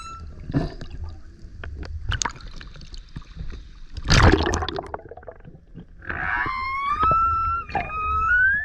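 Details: A male humpback surfaces near a kayak, singing very loud. Scattered splashy noise and a broad burst of water sound come first, then drawn-out harmonic tones that bend and rise toward the end.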